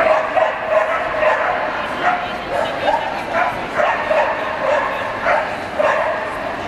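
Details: Samoyed dog show in Lahti, champion class males, 27 April 2014: a run of short, mid-pitched barks repeating about every half second to a second, over a steady hall murmur of voices.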